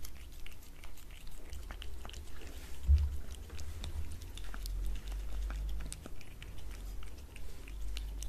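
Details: Cat chewing wet food on a glass table, recorded up close for ASMR. Soft wet crunches and tongue clicks come irregularly throughout, with dull low thumps and a continuous low rumble beneath in a quiet room.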